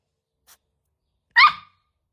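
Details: A bold Golden Retriever puppy gives a single sharp, high yap after a faint click.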